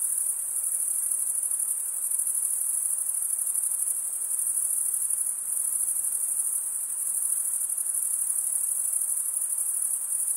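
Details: Many crickets trill together on a summer night in the forest, a constant piercing high ringing that dips briefly in loudness a few times, otherwise steady and uninterrupted.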